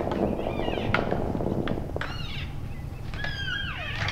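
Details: Elk bulls at play-sparring in the end of January: brief high squeals sliding downward, a few sharp knocks, over heavy low background rumble.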